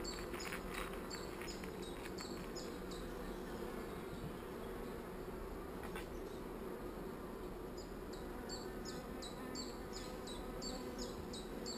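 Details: Honey bees in a hive holding a single swarm cell, described as not so angry: a steady low humming buzz throughout, with a series of short high ticking chirps repeated about every third of a second near the start and end.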